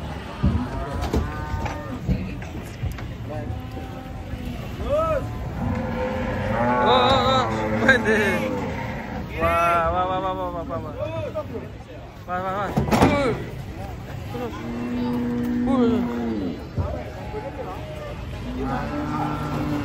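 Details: Many cattle, described as raging, being caught while coming down from a truck: long harmonic moos rise and fall over one another, with voices and rumbling in the background.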